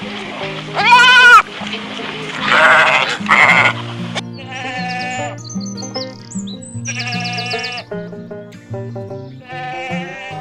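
Goat bleats, wavering and nasal, come in short bursts over steady background music.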